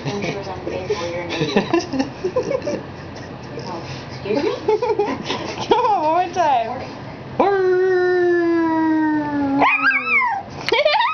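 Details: Puppy whining softly under a person's coaxing speech, then breaking into a long, steady howl near the end that is followed by a rising yelp.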